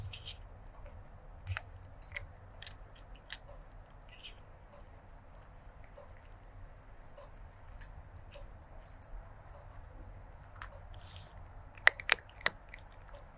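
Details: Close-miked stray kitten crunching food, 01-23-2024, lavalier microphone: quiet irregular chewing clicks through most of the stretch, then a burst of loud, sharp crunches near the end, over low background hum.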